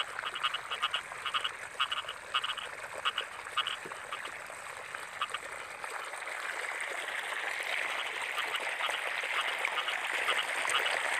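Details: Rice-field frogs in the rainy season give clipped, repeated croaks in the first half, then fade into a rising wash of steady hiss that masks the calls toward the end.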